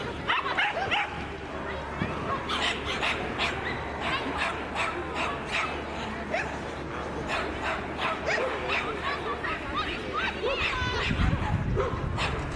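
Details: Cavalier King Charles Spaniel named Royal Sweetheart Seamus, called Lego, at Škofja Loka in 2010; rapid sharp barks repeated roughly three per second, mixed with people talking in the background.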